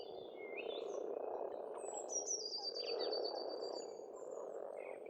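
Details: Spring frog chorus at a pond on an Estonian farmstead: a dense, continuous low purring croak fills the background while birds sing high above with thin whistled trills and slurred descending phrases.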